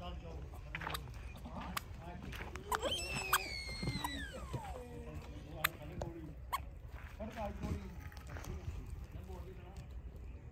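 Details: Goat kids jumping, yelling and playing together; one loud, drawn-out bleat slides steeply downward in pitch midway, surrounded by softer murmuring calls, scattered clicks and a low rumbling background.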